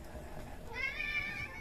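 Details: Meow of an outdoor cat that makes seven rescued kittens freeze in place: one drawn-out, harmonic-rich meow lasting under a second, steady in pitch and tapering slightly at the end, over soft background hiss.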